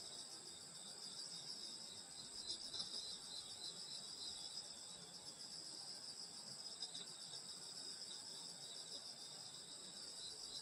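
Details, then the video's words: Summer-night countryside insect chorus, many callers together forming steady, shrill, pulsing trills that never break, layered in high bands, a faint murmur of low background noise beneath. "여름소리 풀벌레소리 시골밤소리"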